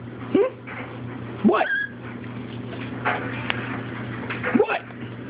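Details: Chihuahua and Shih Tzu begging while offered waffle: short rising whimpers and yips, three brief squeaky calls spread across a few seconds, with a steady low hum in the background.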